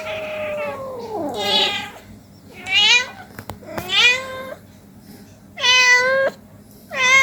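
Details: An 18-day-old kitten playing with its mother cat at home; several high, harmonic meows, some falling and some rising, repeated roughly every second or so, with a quiet background.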